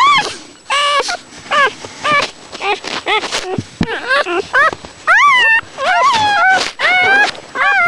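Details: Newborn puppies squeak and whimper in short, high, wavering bursts while nursing, levelling off into more contented sounds once a pup manages to suckle; dog.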